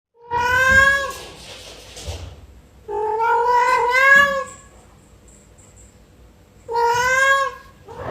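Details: Domestic cat giving three drawn-out meows with clear stacked harmonics, each about a second long, separated by short pauses; a faint thin high tone in the background between calls.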